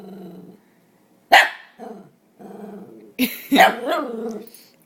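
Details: Chip, a pet dog longing to see his owner indoors, lets out a sharp bark, then a burst of yelping barks sliding into a wavering whine, between stretches of a woman asking where his owner is.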